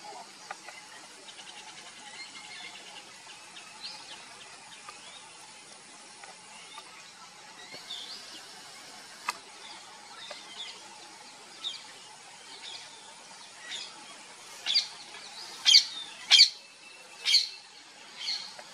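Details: Indian palm squirrel at an electric switch box, trying to pull a cloth off it. Faint high twitters over a steady hiss give way to a run of loud, sharp, high chirps, about five in the final four seconds.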